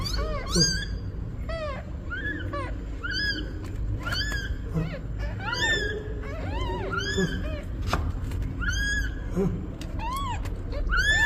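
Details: Newborn kittens with their mother cat, who is asking for help: a dense, continuous chorus of high, thin, arched mews overlapping one another, with a low background rumble.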